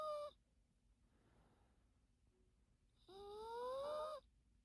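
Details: Sleeping Yorkshire Terrier Teto snoring at naptime: the tail of one whistled snore, a hush with soft breathing, then a fuller nasal whistle rising gradually over about a second.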